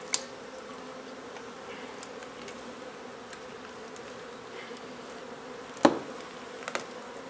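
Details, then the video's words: Honey bees from a nuisance hive in a renovated old house in Donna, Texas: a steady, low, even drone of many bees, broken by one loud knock and a few small taps. "Honey Bee hive removal"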